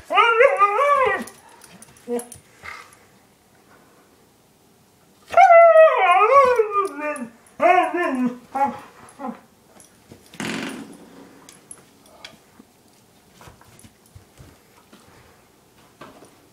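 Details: Pet dogs Chinook, a one-year-old husky, and Lola, an eight-year-old German shepherd mix, at home: drawn-out, wavering, falling whines and yelping howls in two main bursts, then short yips and a faint rustle.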